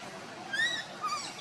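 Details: Monkey group with Luna carrying baby Luno while Rainbow tries to take him; two brief, thin, harmonic squeaks, the first rising then level, the second shorter and lower, over faint background hiss.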